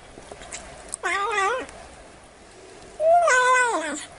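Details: Domestic cat calling to scare off mice: two loud, wavering meows about two seconds apart, each rising then falling with a bending, slightly warbled pitch, over a quiet background.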